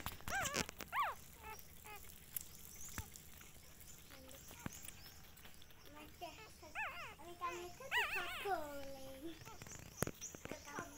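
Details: Pitiful puppies with their mother dog, outdoors: high, thin whimpers that rise and fall in bent, wavering arcs, coming in clusters with short gaps between them. Occasional soft human speech and sharp clicks can be heard.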